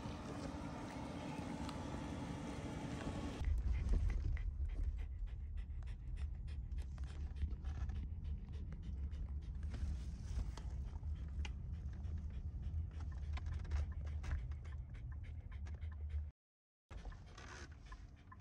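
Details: A Shiba Inu dog, back from a walk and sneaking into a grandmother's off-limits room to paw at her pillow, pants in rough, rapid breaths, about three per second, after a humming opening and a short silence near the end.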